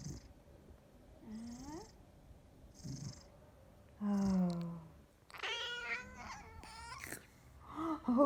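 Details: Big Maine Coon cat from a cattery in the south of France giving a few short rising chirps, then fuller drawn-out harmonic meows in the second half, while a person talks softly in French nearby.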